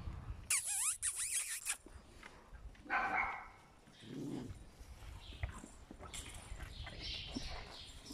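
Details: Eight-week-old puppies of the mother dog Singer: a loud, high whining yelp with sweeping rising and falling harmonics for about a second, then clattering noises, a brief second cry near the three-second mark, and soft rustling.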